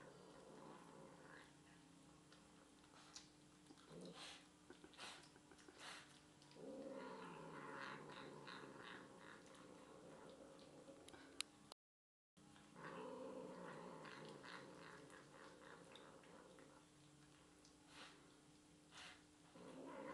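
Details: Pet cat Misty chatters while eating chicken stir fry leftovers indoors; brief low harmonic mews and a longer warbling murmur come between chewing clicks, with a short gap of silence midway before more muffled vocal sounds.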